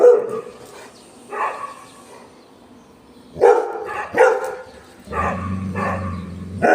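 A Golden Retriever gives a series of deep, full barks with short pauses between them.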